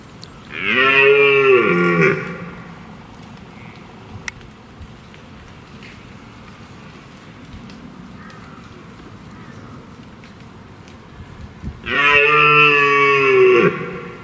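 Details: During the rut, a powerful red deer stag in woodland by a stream gives two deep, drawn-out bellowing roars, each over a second, separated by a long quiet gap, roaring to impress hinds and intimidate rival stags.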